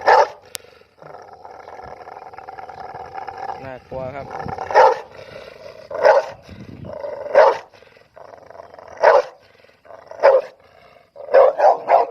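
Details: A dog gives loud, abrupt barks spaced one to two seconds apart, ending in a quick triple, over a continuous hum with a brief voice-like warble between barks.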